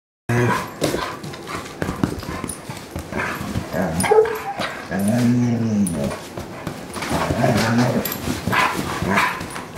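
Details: A 4-year-old purebred German Shorthaired Pointer in the care of a dog rescue, giving low, drawn-out moaning and whining calls with wavering pitch, some short yips, and several longer rising-falling howl-like notes over background rustling.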